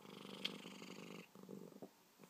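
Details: Indoor cat with hiccups: a continuous low rattling purr broken by two brief sharp clicking jolts, one early and one near the end, with the purr fading out after a short break.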